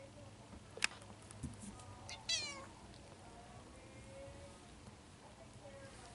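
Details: Three-week-old Bengal kittens from a February 2016 litter in Madison, Wisconsin, give a couple of short, thin meows amid faint rustling; one call has a rapidly pulsed, harmonic-rich quality.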